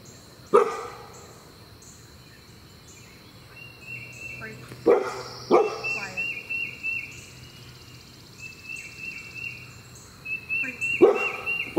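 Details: Vail, a 6-month-old male Bernedoodle puppy (Bernese Mountain Dog and Standard Poodle mix) on day 5 of a board-and-train program, gives four sharp barks spread across the stretch, two close together midway, over steady high chirping in the background.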